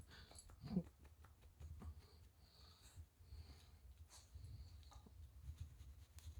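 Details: Shiba Inu named Chichi, a friendly dog kept near the Kanehama branch school in Aomori City, Aomori, Japan, being petted while its moulting coat is combed out; one short, sharp sneeze-like burst near the start, then soft breathing and handling rustle over low rumble.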